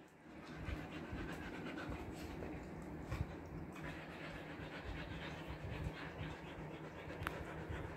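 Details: Siberian Husky with a freshly trimmed coat, panting in the summer heat of Kolkata, India: quick, steady breathy huffs repeating without pause over a constant low electrical-sounding hum.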